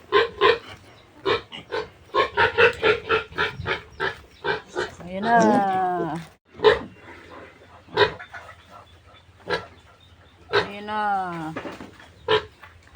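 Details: Piglets of a new sow being separated for weaning: choppy squeals and grunts, then two long, drawn-out, falling squeals, with people's voices in between.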